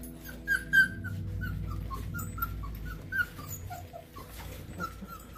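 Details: Very large 22-day-old F2 Lycan Shepherd puppies howl with thin, high squeaky cries, short notes tumbling one after another and often dropping in pitch.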